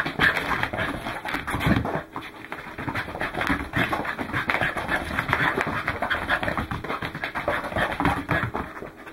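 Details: Welsh Corgi panting while out running, recorded on 12 December 2010: fast, breathy, rhythmic huffs at about three to four per second with no pauses, plus rustling and footstep noise.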